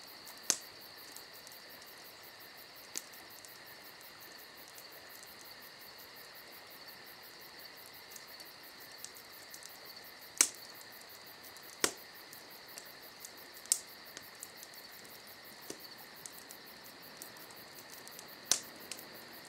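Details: A dense, steady high trill from crickets on a summer night. Occasional loud pops and crackles come from a campfire close by.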